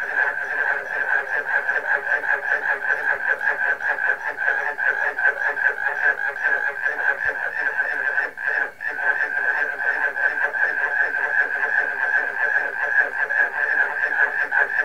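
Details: Frog chorus including barking crickets, a dense rhythmic drone of countless rapid pulsed calls, briefly dipping in loudness about halfway before resuming at full strength.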